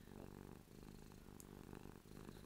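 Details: A contented domestic cat named Ruby purrs while drooling from happiness. The dense, low, rattling purr runs steadily with one brief dip, and a faint click sounds midway.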